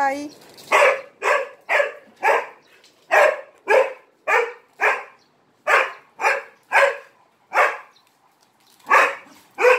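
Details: A dog barking too much for attention while playing with three Malinois; loud sharp barks repeated roughly every half second in a steady run, a short gap, then more barks, indoors.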